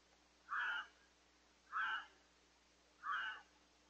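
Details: A red fox in Lisbon, New Hampshire gives hoarse, wavering cries, each about a third of a second, repeated every second or so; possibly a mating call.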